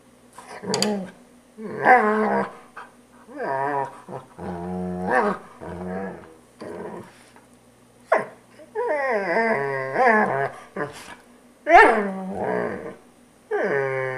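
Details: Poodle growling and whimpering during grooming indoors in a small room, a series of rough, harmonic-rich growls and whines in bursts of one to two seconds, separated by short pauses, with a steady low hum beneath.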